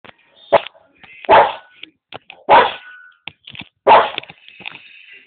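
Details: Boston Terrier indoors barking at other animals on TV: four sharp, loud barks spaced roughly a second apart, each a short burst, with quieter snuffs and faint TV sounds between.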